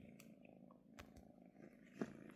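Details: Kitten purring contentedly while being petted indoors, a soft low rumble with a few faint clicks and rustles from handling.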